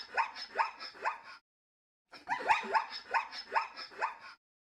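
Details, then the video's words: A zebra gives two bouts of hoarse, yelping barks, each a quick rising note, about three a second, with a short pause between bouts. "Got your answer? Today's Name That Sound is a zebra."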